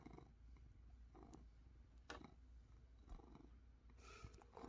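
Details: Domestic cat purring on a Sunday morning indoors: a steady, deep, low rumble with soft rhythmic swells about once a second as it breathes, and a faint rustle near the end.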